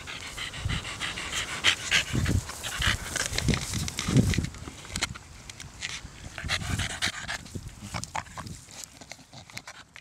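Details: A 13-year-old female Staffordshire Bull Terrier cross panting heavily, with rapid, uneven breaths and soft snuffles through most of the stretch, fading slightly toward the end.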